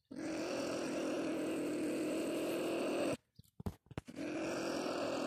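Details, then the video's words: Marten caught in a live trap set with live bait, giving a loud, harsh, steady rasping growl for about three seconds. It breaks off abruptly into a few clicks and knocks, then the growl resumes. "Куница попалась"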